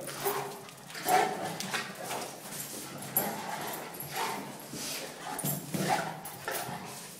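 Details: Zeus the Cane Corso and Maximus the Miniature Schnauzer play fighting, the little one starting it. Short gruff barks and growls sound in repeated bursts, with scuffling and a man's voice telling them they are finished.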